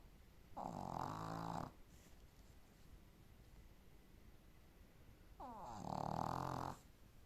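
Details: Boston terrier snoring while asleep indoors: two rough, buzzing snore breaths about a second long each, separated by roughly four seconds of quiet breathing, the second one starting with a brief rising whistle.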